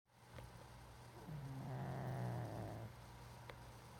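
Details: Pug snoring while asleep with one eye open: a low, rumbling, drawn-out snore rising and fading over about two seconds, over a steady low hum indoors.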